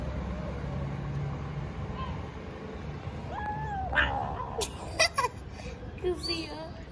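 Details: Tiny kitten in Istanbul talking while eating: a short rising-then-level meow over a low background rumble, followed by sharp clicking and smacking sounds and a few brief, higher mewing notes.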